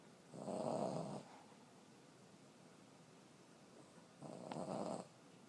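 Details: A 14-year-old female Boston Terrier snores hard with two deep, rattling breaths, each lasting close to a second, separated by a few seconds of near silence with only faint room noise.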